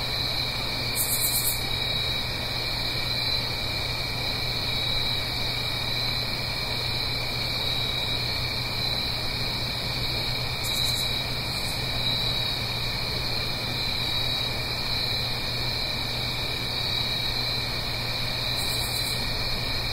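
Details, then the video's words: Crickets singing on an autumn night in the Blue Ridge Mountains, uphill from a gentle stream: a steady, unbroken high trilling chorus in layered bands, with a few brief, sharper high bursts and a soft low rushing underneath. "Autumn Crickets - 9-Hour Sleep Sound - Fall Cricket Song"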